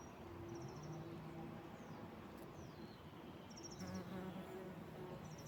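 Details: A bumblebee on a wildflower meadow drones with a deep, wavering buzz throughout, while birds add brief high chirps and thin descending whistles in the background.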